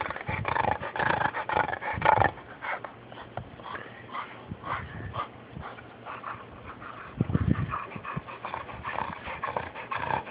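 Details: A friend's dog snoring, recorded on an Android phone: rough, breathy snores come in uneven bursts, with one deeper, rumbling snore late on, over a steady background hiss.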